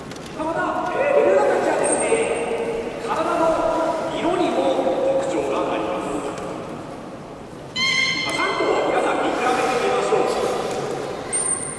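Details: Beluga during a public training session at Port of Nagoya Public Aquarium, 18 July 2016, 13:30 show: sustained, flat, harmonic squealing tones that stop and start, with a person talking throughout in a large, echoing hall.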